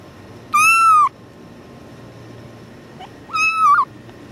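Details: Tuxedo kitten yelling while being held: two loud, clear meows, each about half a second long, with a level, slightly wavering tone that drops at the end, separated by a quiet gap of nearly three seconds.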